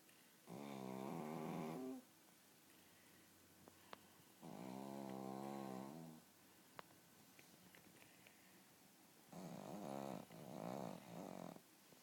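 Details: A sleeping pug snoring indoors: three long, harmonic rasping snores of about one and a half seconds each, separated by quiet pauses, the last one broken into several shorter pulses.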